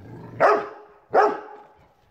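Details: A Rottweiler barks at a chair, giving two deep, sharp barks about three-quarters of a second apart.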